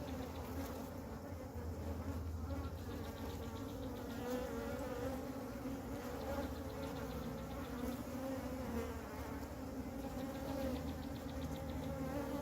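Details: Honey bee swarm gathered on the ground around a queen unable to fly, being moved into a beehive by a beekeeper; a dense, steady droning hum with layered low buzzing tones throughout, continuous and even.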